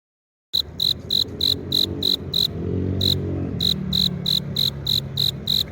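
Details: Male cricket rubbing its forewings together to attract a female: after a brief silence, bright high-pitched chirps pulse about three times a second in a steady series, with one short pause midway, over a low rumbling background.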